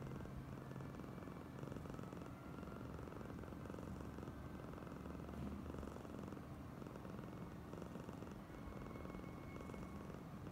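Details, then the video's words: Female house cat Oyen, acting especially clingy and affectionate, gives a continuous low purr of rapid soft pulses over a faint background hiss, unbroken for about ten seconds. "Kucing (Oyen gegirl) terlebih manja"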